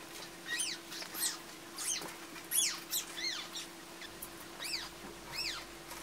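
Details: Stray cat family being rescued, kittens included: thin, high-pitched arched mews repeated rapidly, about one or two each second, each rising then falling, over a steady low hum.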